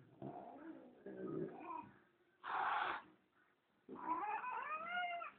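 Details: Pet cat, female, kept indoors and wanting to go outside while her owner refuses because of dogs outdoors; a few drawn-out wavering meows with pauses, the owner speaking Spanish nearby.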